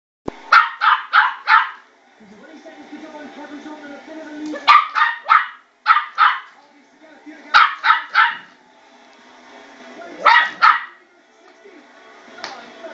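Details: West Highland White Terrier puppy about 12 weeks old, indoors, barking at a spinning bowl: quick bursts of three or four sharp, high yaps, repeated roughly every one to three seconds, with quieter rattling between bursts.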